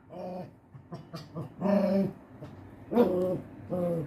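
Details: Pinscher dog growling and whining in a series of harmonic, moaning growls, with a short yip near the middle.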